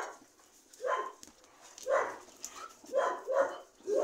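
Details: Dogs barking: short, fairly quiet barks at irregular intervals, five bursts across four seconds, two of them close together near the end.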